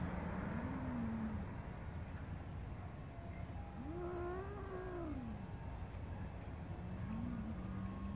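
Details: Garden cat playing with a grasshopper gives three drawn-out, arching meows, one short, one longer and bending down at its end, and a brief closing mew, over a steady low background hum.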